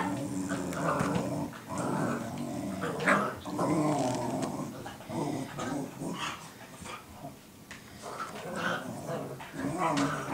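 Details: Cooper and Sophie, two dogs, vocalizing at each other indoors, Sophie teaching Cooper guard-dog behaviour; continuous rough, tonal growls and grumbling barks rising and falling throughout, with brief sharp bursts.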